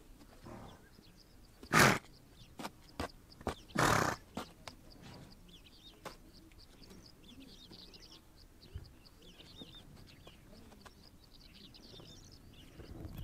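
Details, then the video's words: Horses on the Mongolian steppe: two loud, harsh, breathy snorting bursts come close together near the start, followed by softer short puffs and rustling, with faint high bird chirps over a quiet outdoor background. "Relax listening to the sound of horses"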